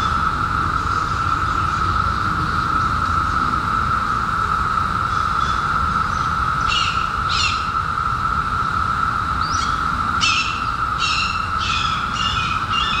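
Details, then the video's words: Massed cicadas of the 2021 seventeen-year emergence keep up a constant, even buzzing drone through a summer night, while short bright bird notes break in repeatedly over the final six seconds. "CICADAS 🌿 Sounds"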